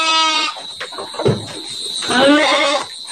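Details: Garut sheep, large rams in a fancy bamboo pen in Indonesia being readied for Qurban 2024; a harmonic bleat opens, then brief knocks and a second wavering bleat, with a man talking nearby.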